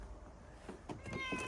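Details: Female senior calico cat, nearly 27 years old, outdoors with her owner: one short, clear, tonal meow near the end, preceded by soft shuffling and handling noises.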